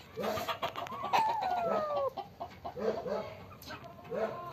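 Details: Black and white kitten, caught by the tail after hiding with another kitten on a farm, violent and roaring, gives one drawn-out falling meow lasting about a second, with chickens clucking steadily around it.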